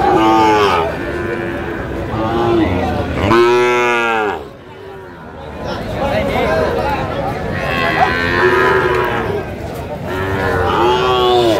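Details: At a Cumilla cattle market on 19 April 2025, Sahiwal bull calves bellow: a loud, full, slightly falling moo near the middle, plus fainter overlapping lows before and after, against constant crowd hubbub.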